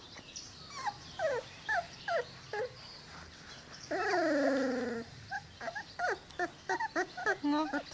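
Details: Twenty-two-day-old Cane Corso puppies whimper in quick, falling squeaks, broken by one drawn-out, wavering whine of about a second, followed by more rapid, chirpy yelps.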